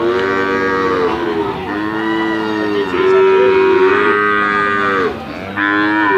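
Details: Brahman and Limousin calves lowing: a run of long, harmonic-rich moos with wavering, slightly rising and falling pitch, several calls overlapping with short breaks between them.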